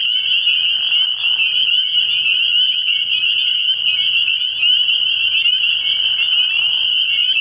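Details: Dense chorus of spring peepers from a nighttime frog pond early in the year, high whistled peeps overlapping continuously into a ringing drone, slight dips in loudness around the first and sixth seconds.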